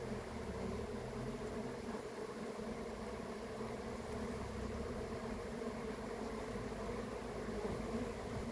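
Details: Honey bee swarm at a beekeeping site, a dense, steady buzzing hum with layered droning tones that hold unchanged throughout, mixed with low rumbling background noise.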